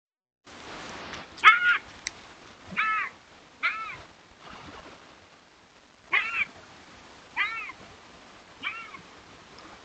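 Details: Bobcat making noise, possibly a mating call: a series of short, harmonic, arched wailing yowls, each under half a second, spaced irregularly one to two seconds apart, with faint background rustle.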